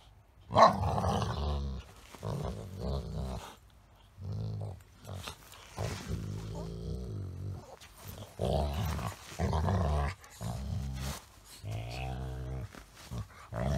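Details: A Golden Retriever playfully mock-fights with a Chihuahua–Shih Tzu mix, grumbling and growling in bursts: a chattering run of low, throaty, odd "dog talk" noises.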